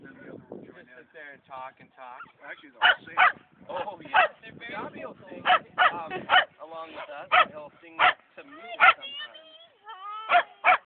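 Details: Two male sheltie littermates reunited at a dog park, their voices noted as alike, give a long run of short, bright, high barks, often in pairs, over steady human chatter.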